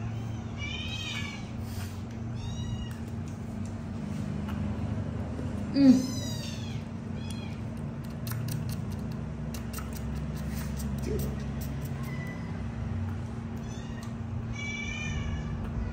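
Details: Kittens calling for milk, three of them together; thin high meows come in short bursts near the start, around six seconds and again at the end, over a steady low hum with long quiet gaps.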